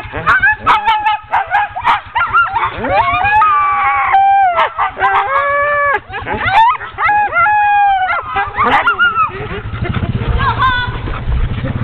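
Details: Ten-dog sled team, hooked up for a training run on 16 October 2010, clamouring together in a dense mix of eager barks, rising yips and drawn-out whining howls that overlap almost without pause, with low rumbling noise behind.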